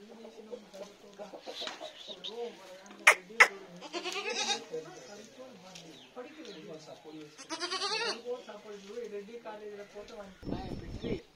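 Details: Goats from a stock of fifty held for sale give repeated shaky, nasal bleats, several calling in turn, with chickens clucking, people talking and a loud rustling near the end.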